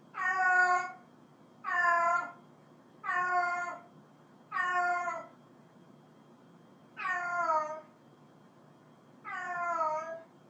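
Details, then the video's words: Repeated meowing from a cat calling another cat: six strong, clear meows, each about half a second long and falling slightly at the end, coming every one to two seconds with a longer pause midway. "cat calling cat"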